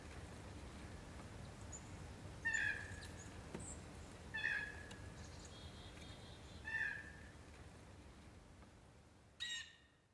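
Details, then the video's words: A northern short-tailed shrew gives three short, high, squeaky calls with a faint higher overtone, spaced about two seconds apart, followed by a sharp click, over faint background hiss. "Cri de la grande musaraigne/Sound of the Northern Short-tailed Shrew"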